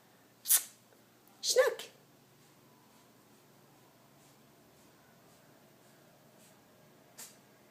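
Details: A Siamese kitten sneezes twice in quick succession, two sharp, breathy bursts about a second apart, then quiet room tone with a faint click near the end.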